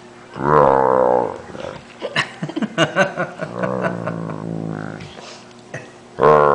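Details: Great Dane making water-buffalo-like sounds as his paw is playfully pretend-bitten by his owner's brother: a loud, rich groan at the start, then clicky, broken vocal noises and a longer, lower moan, with a fresh groan at the end.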